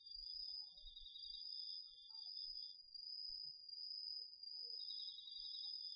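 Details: Autumn insects including crickets singing at night over a garden vegetable field, DR-40X recording: a continuous high ringing note with a lower rapid pulsed trill that stops midway and resumes, plus a soft low rumble beneath.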